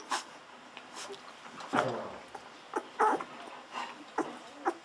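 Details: Two-week-old Golden Retriever pups being bottle-fed milk give scattered thin whimpers and squeaky yips between bouts of wet sucking sounds, with a few louder cries standing out.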